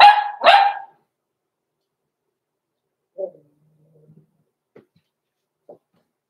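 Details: Blenheim Cavalier King Charles Spaniel puppies aged six weeks in a home puppy pen; two quick shrill barks in succession, followed by faint soft whimpers and scattered quiet sounds.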